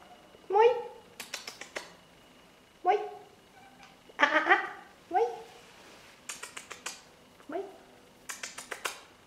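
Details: Saku, a Siberian cat and 8.5-month-old breeding male from Russia, lives in a Helsinki foster home with his Siberian buddy Lucas. He gives five drawn-out, falling, tonal meows a second or two apart, with sharp clicking knocks between them indoors.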